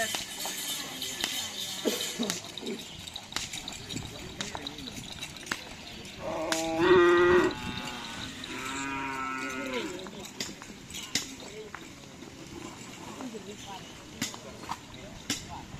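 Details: Racing cattle at a karapan sapi event ahead of the Pamekasan regency selection round. Two moos in the middle: a loud, rich one of about a second, then a longer, fainter, wavering call, amid crowd noise, clatter and laughter.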